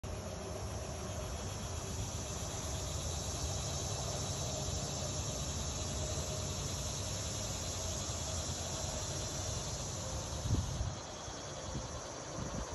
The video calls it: Cicada Sound